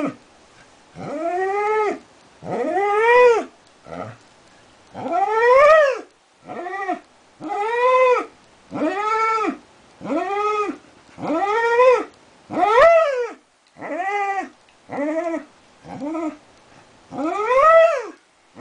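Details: Long howling session by Darwin the border collie: many short arched wails, some clipped, others drawn out and rising at the end, following each other every second or two.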